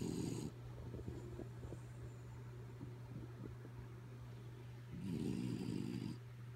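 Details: Kaya Boo, a dog fast asleep, snores in two raspy low bursts, one at the start and one near the end, with quieter breathing between and a constant background hum.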